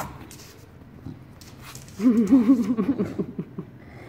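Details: English Bulldog named Enzo indoors in a small room, giving a wavering, wobbling grumble-whine for about a second and a half that rises and falls in quick pulses, with a person's voice before it.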